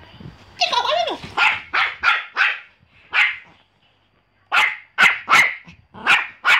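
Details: Pomeranian dog barking indoors: a run of sharp, high yapping barks, about a dozen in quick bursts with a short pause midway, preceded by a brief whiny yelp.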